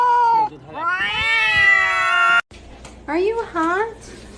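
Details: Kittens meowing indoors: a long, drawn-out harmonic meow rising then gently falling over about two seconds, followed after a brief break by two shorter, bending meows from a lower voice.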